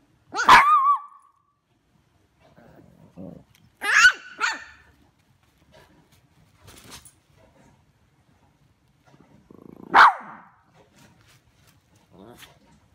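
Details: Two pet dogs, Charlie and Chicken, in a barking contest: loud, sharp barks burst out near the start, again around four seconds with a quick double yap, and once more near ten seconds, with softer vocal murmurs and small noises between.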